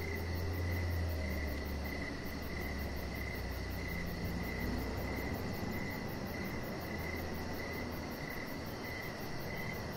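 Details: Evening crickets chirp near a deck in a nearly continuous trilling band, broken into quick repeated pulses, with a loud low-frequency background rumble beneath.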